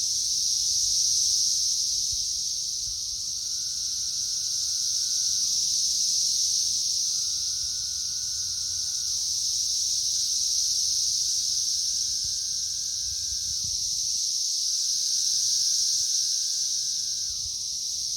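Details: Periodical cicadas swarm a loaded tree in the third week of their emergence, May 2024, a dense, steady hiss pierced by long droning calls that drop off at the end.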